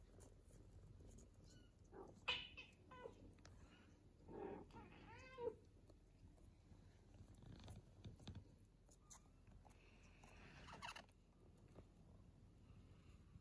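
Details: British Shorthair kittens almost three weeks old, at play and feeding beside their mother; three thin, wavering mews spaced a couple of seconds apart, with soft rustling, taps and a brief hiss of background noise.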